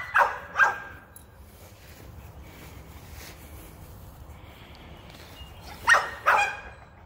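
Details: American Pit Bull Terrier keen to hunt rabbits barks in two quick pairs, two abrupt barks at the start and two more near the end, separated by several seconds of quiet outdoor background.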